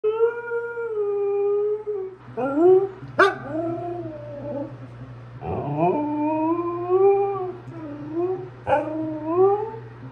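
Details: Husky dog indoors in the early morning trying to keep its voice down while telling its owners something, usually about food. It gives drawn-out, wavering woo-woo howls with rising and falling bends, broken by sharp yelps. A steady low hum runs underneath.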